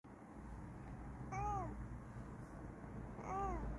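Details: Bengal cat named Kokoa investigating indoors, giving two short arched meows about two seconds apart, each rising then falling, over a low steady room hum.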